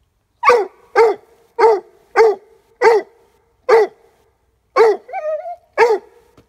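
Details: Leopard Coonhound pup of five months barking at a squirrel hide drag while treeing; forceful barks at regular half-second intervals, one followed by a brief drawn-out whine before the barking resumes.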